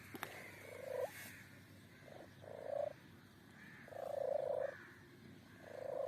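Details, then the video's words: Strange sounds from a kitten: short, steady, nasal mews in quick succession, some clipped and some held nearly a second, over a quiet background with one sharp click at the start. "A kitten with strange sounds"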